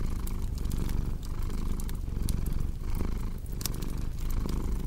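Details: A cat's deep, continuous purr rumbles low and close, pulsing gently with its breathing, overlaid by bright crackles and pops from a burning fireplace.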